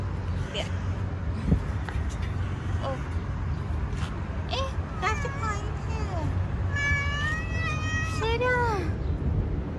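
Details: Stray three-legged cat on the street, being petted, meowing repeatedly in quick bursts, several short downward-bending calls ending in a longer drawn-out meow, with a person talking gently and constant traffic rumble behind.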